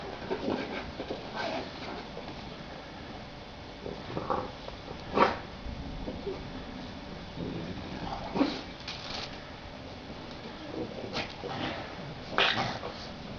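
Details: Bulldog puppies playing in a garden in spring 2012. Short whimpering and yelping bursts come every few seconds over a steady hiss, with the loudest yelps near the fifth, eighth and twelfth seconds.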